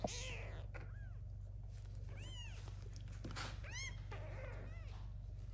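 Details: Little kittens meowing loudly for the mother cat to come and feed them; thin, arched high meows at irregular intervals, fainter amid rustling and a constant low hum.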